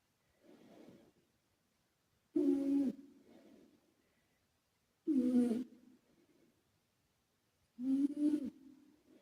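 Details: A former rescue cat, the male British Shorthair Karumo, snores in his sleep with echo applied. A faint breath is followed by three loud, gravelly snores at steady intervals of about two and a half seconds, each echoing away.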